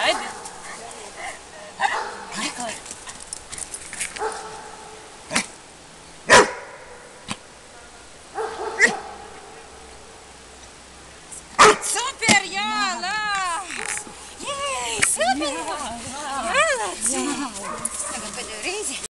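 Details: Labrador Retriever named Ergo during a barking exercise: several sharp, single barks spaced roughly one to two seconds apart over the first twelve seconds, then a person's voice talking steadily through the rest.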